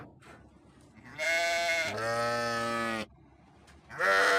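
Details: A single sheep utters one long, shaky bleat that drops in pitch at the end, followed after a pause by the start of another loud bleat.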